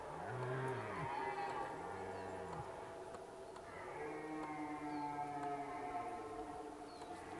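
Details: Several red deer roaring in the rut at Zvārde, mid-distance: short low groaning bellows early on, then a long, steady moaning roar overlapped by higher drawn-out calls from another animal, over continuous background hiss.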